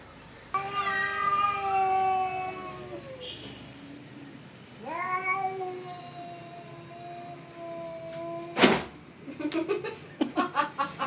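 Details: Domestic cat in a fight with another cat, with drawn-out wailing yowls, the first lasting about three seconds and sinking in pitch, a second long moan following, then a sharp burst and quick broken sounds near the end.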